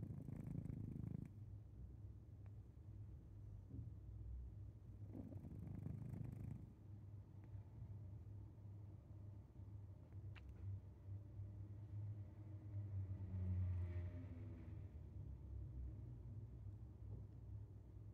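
A sleeping Maine Coon cat breathes loudly, with low, rumbling, snore-like breaths.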